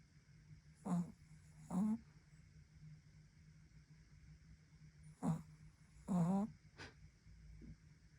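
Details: Sleeping Pekingese-Chihuahua mix puppy, indoors, now snoring more often; four low, rasping snores, paired with pauses, a pair near the start and another pair about four seconds later, over quiet room hum.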